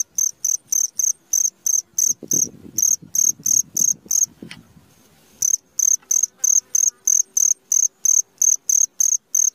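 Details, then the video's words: A cricket at midnight gives rapid, piercing chirps in a steady train, broken by a burst of low rustling noise and a short silent gap before the chirping picks up again. "SUARA JANGKRIK TENGAH MALAM"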